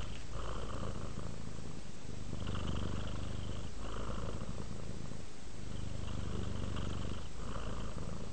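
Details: Relaxed house cat Rudolph purring on the way to sleep, a low buzzing rumble rising and falling in clear breath cycles about every one and a half to two seconds, brief dips between each.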